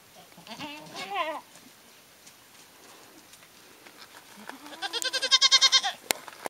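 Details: Goats on a ranch bleating: a wavering, quavering bleat near the start, a quiet pause, then a louder, rapidly pulsing, strained bleat building toward the end, with a short low call before it.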